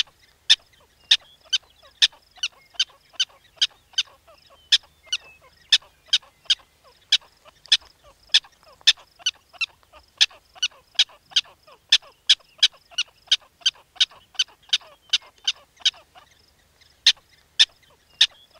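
Sharp, squeaky barks from a black-tailed prairie dog repeat in a steady, rapid rhythm, roughly three per second. The series runs on with only a brief pause near the end, against a quiet background.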